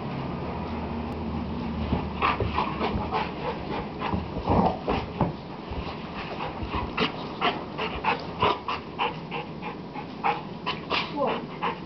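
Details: Dogs at play: a rapid run of short, sharp yips and snorting bursts, irregular and clustered, over a steady low background rumble and scuffling.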